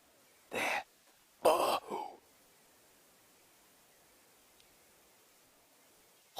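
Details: Two loud, harsh, gruff kudu alarm barks about a second apart, the second longer and trailing off, then near silence. Heard on a sunrise drive in the African bush on 7 August 2016; the kudu was standing on a termite mound with other kudu nearby.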